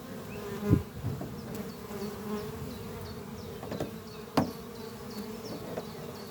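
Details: Worker honey bees flying at a busy hive on a spring morning; an even, low droning buzz broken by a few sharp close knocks, with faint, regularly repeated high bird chirps in the distance.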